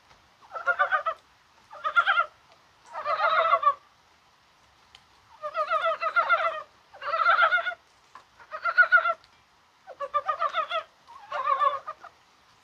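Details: Mountain brown frogs calling in the rain on a spring-like 21 January, possibly while spawning. Eight bursts of rapid, chuckling pulses, each about half a second to a second long, come in irregular runs against a quiet background.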